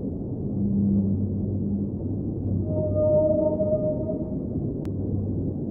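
Whale song: a low hum, then a long, steady tonal moan that wavers slightly, over deep underwater rumble.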